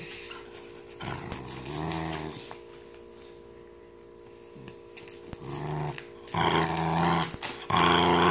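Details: Female corgi, which hates velcro, growls indoors while her Thundershirt is removed. Two low grumbling bouts are separated by a quiet pause, then a longer, louder run of throaty growls. Rustling and handling noises are also heard.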